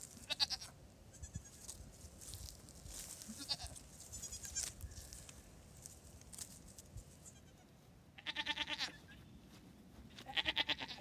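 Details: Two-day-old newborn triplet goat kids beside their watchful mother; high, wavering bleats at the start and again in two short bursts near the end, separated by quieter stretches of rustling and low background hum.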